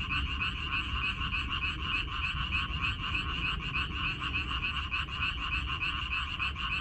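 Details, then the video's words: Massed frogs croaking in a minari field, 14 May 2021; overlapping rattling calls blur into a steady churring chorus, backed by a low, constant rumble. "고향 생각 나게 해주는 개구리 소리, 미나리밭의 그놈들"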